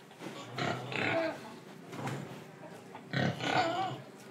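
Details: Domestic pig in Indonesia, breathing and eating: short rough grunts in two loose clusters, around the first second and again after the third, with soft snuffling breaths between them.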